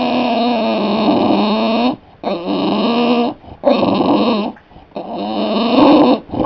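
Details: A dog making a drawn-out groaning, whining noise to be allowed up into a lap or onto the couch: four long, droning, harmonic moans of a second or more each, separated by short gaps.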